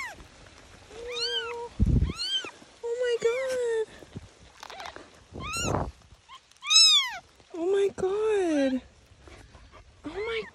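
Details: Bobcat kitten found by a hiker and her dog on a trail, giving repeated rising-falling mewing cries, some high and thin, some lower and drawn out, mixed with a woman's gentle speech and brief rustling.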